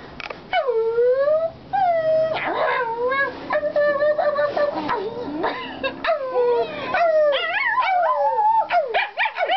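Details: Domestic dog Sheeba howling along with a woman: wavering, sliding tonal howls rising and falling in pitch, broken by short yelping cries and upward swoops, both voices overlapping throughout.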